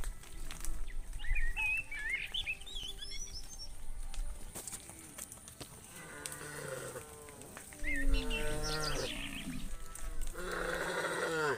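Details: Cows led through a muddy rice field to the livestock pen; bird chirps twitter early, then several low, rich moos follow, one after another, the last one louder and brassier, against steady outdoor noise.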